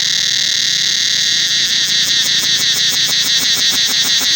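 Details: Cicadas calling throughout the forest of the Angkor Wat temple: a loud, steady, shrill metallic whine fills the air, and from about halfway a rapid throbbing pulse joins in, beating roughly three times a second.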